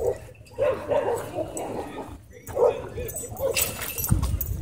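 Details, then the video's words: Husky at a dog park, screaming after an encounter with a pitbull: short high whining cries with bent, wavering pitch come in bursts, a pause, then more bursts. Human voices and rumbling background noise run underneath. "Husky Left Screaming After Encounter With Pitbull At Dog Park"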